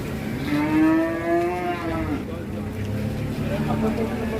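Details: Cattle arriving by truck at a market in Muntilan, Indonesia, a big bull and a small one: a long, drawn-out rising then falling moo, with engine rumble and people talking.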